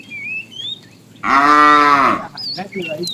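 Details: Tame cow from a herd wandering far in search of food gives a single drawn-out, harmonic moo lasting under a second, steady then dropping at the end, while small birds chirp and whistle before and after.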